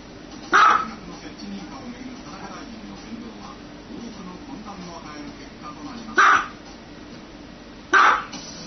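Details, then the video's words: One sharp dog bark, then a long pause filled with low murmuring voices, followed by two more quick barks close together near the end. "Dog barking sound"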